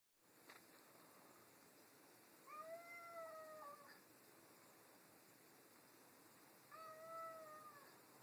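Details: Two pet cats arguing over a new toy. Two drawn-out, clearly harmonic meows, several seconds apart. Each is slightly rising, then falling at the end, over a steady low room hiss.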